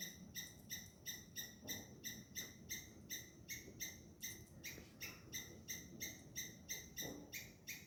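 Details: Squirrels shouting at a cat chasing them, hidden-cam recording: an insistent stream of clipped, high chirps close to three a second, rhythmic and persistent, with soft low rumble beneath.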